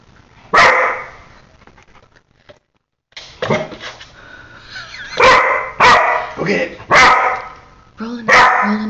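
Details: Old English Sheepdog puppy meeting a tennis ball for the first time, December 2012: loud, sharp barks come singly, about five in all, spaced roughly a second apart, while a woman's voice coaxes and encourages.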